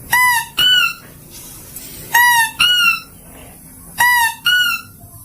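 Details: Mouse-deer call used as a lure to attract: three pairs of shrill, squeaky, harmonic-rich notes, each pair a short note then a slightly higher one, repeating about every two seconds over quiet background.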